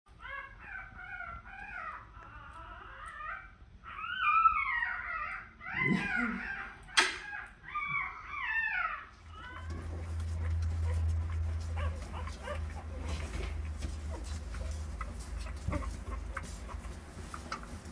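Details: French Bulldog puppies with their mother, who has just given birth and is nursing them. Thin, wavering high squeaks rise and fall rapidly for about nine seconds, followed by steady low rumbling noise.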